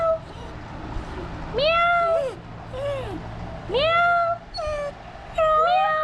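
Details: Pet Dachshund crying like a cat in reply to a person's meow imitations: arched, whining tonal cries in bursts of about half a second, rising then falling, several in six seconds, with human voice between.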